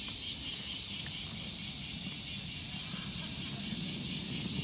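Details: Shrill insect calling from an evening cicada in Japan, a high, dense ringing with faint regular throbbing, accompanied by a constant low hum.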